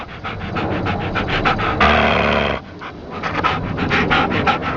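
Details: Sleeping Rat Terrier dog snoring in a way said to sound just like a person: fast, raspy, rhythmic breaths at about three per second, broken midway by one longer, louder hoarse rush of air.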